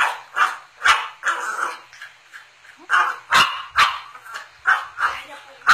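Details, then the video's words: A pet cocker spaniel barking because it wants a Yakult bottle; short sharp barks and yips repeated roughly twice a second in bursts, with brief human speech. "dog wants the bottle"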